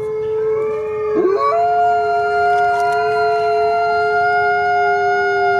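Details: ['Coyote howling: several long, steady tonal notes overlap, holding level pitches, with a brief wavering slide near the first second and a faint high hiss throughout.']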